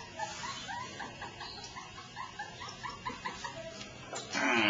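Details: Two-month-old poodle puppy at a show: rapid run of short, high whimpering yelps, roughly three a second for about four seconds, ending in a burst of broad rustling noise.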